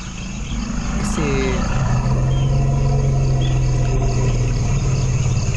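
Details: An African elephant gives a deep, steady, engine-like low-frequency rumble that travels through the ground for contact over kilometres; other elephants sense it through their feet.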